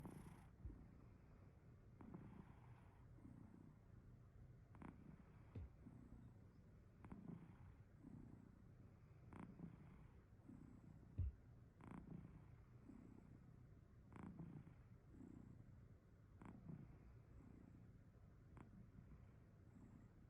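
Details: Domestic cat snoring softly while sleeping comfortably: quiet, low, breathy rumbles repeating about every two seconds in a steady rhythm against a faint background hiss.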